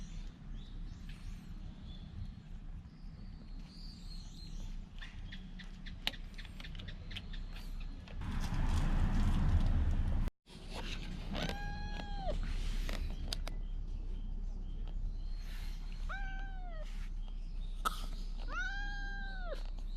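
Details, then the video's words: Stray cat in the Fukugi tree-lined avenue of Bise, Okinawa, Japan, calling loudly as if trying to tell something, filmed on a GoPro 9. Several drawn-out, arching, harmonic meows come in the second half over steady low rumble and a brief loud noise burst. "備瀬のフクギ並木で見た大声で何かを訴える猫-cat that tells something loudly in a bise lined tree"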